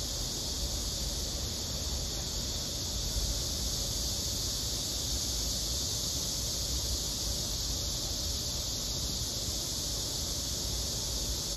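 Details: A Korean cicada (chammaemi) gives a continuous, loud, hissing buzz at one steady high pitch, no breaks or pace changes, while fire ants crawl on and bite it.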